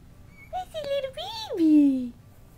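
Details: Domestic cat, a mother with her kittens, giving a drawn-out meow that rises and then slides steeply down into a low, drawn tone, preceded by shorter, higher mewing notes, all in a quiet indoor setting.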